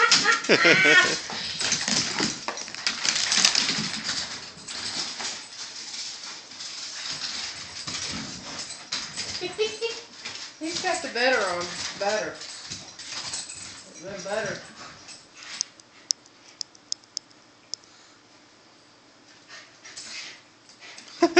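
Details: Max, a corgi, playing with Butter, a shih tzu, indoors; bursts of high, whiny yelps and wavering rising-falling cries cluster midway, set against scuffling, rustling play noise and occasional human voice.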